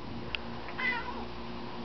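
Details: Male cat on a balcony, reacting to a pigeon; a brief clicking chirp then a wavering meow-like trill, over a constant low hum.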